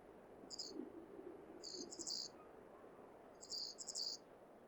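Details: Breeding-season call of a wild male flying squirrel in Hokkaido, made to attract a female: piercing chirp bursts in bunches of two to four notes, recurring roughly every second or two, with low rumbling hiss beneath.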